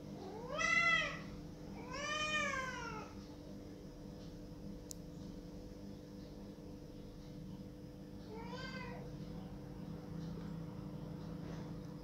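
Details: Pet cat crying loudly, asking for the door to be opened. Two strong wailing meows come close together at the start, then one shorter meow around eight seconds. A steady low hum runs beneath.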